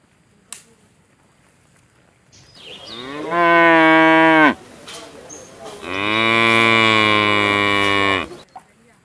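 A cow gives two long, loud moos, the second one steadier and more drawn out.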